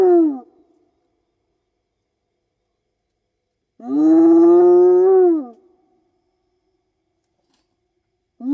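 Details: Spotted hyena whooping, a long-distance contact call among clan members in the African bush at night: one full rich, harmonic hoot that swells and bends downward, with fragments of neighbouring whoops at each edge and quiet between.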